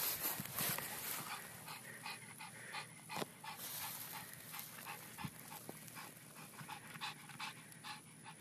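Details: Pug dog panting in quick, uneven breaths, soft breathy bursts repeating for several seconds over a steady background hiss.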